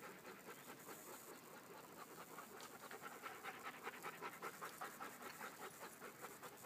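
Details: Forest walk with a small pack of Beaucerons: fast, fairly regular panting, about two and a half breaths a second, growing slightly louder toward the middle over a soft outdoor hiss.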